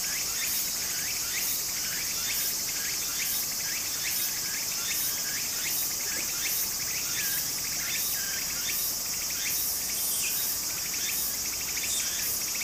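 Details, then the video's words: By a small stream in Japan in summer, cicadas keep up an unbroken high buzz while rhythmic rising scrapes repeat quickly, over seventy a minute, with crisp high ticks between. "小川の流れと蝉の声 自然音 ～夏～ Japan Sound of nature Cicada's voice"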